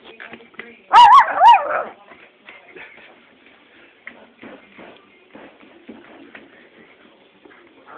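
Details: Stella, a dog, makes a strange sound: one loud, wavering, whining howl lasting about a second, followed by faint, scattered soft whimpers and snuffles.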